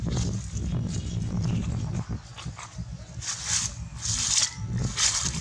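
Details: Baby monkey named Barbi crying loudly in fear: three harsh, high-pitched screeching bursts in quick succession near the end, each about half a second long, over a steady low rumble of background noise.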